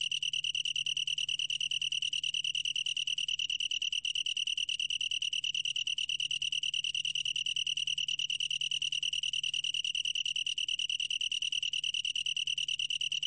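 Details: Long-tailed tree cricket chirring in an uninterrupted high trill, rapid uniform pulses with a sweet ringing tone held at constant loudness; no other sounds.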